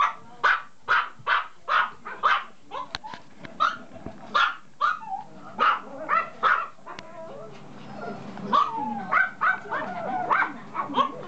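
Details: Toy poodle puppy yapping in quick high-pitched bursts, about two per second at first, then softer, whiny yelps and whimpers mixed with faint background murmur in the latter half.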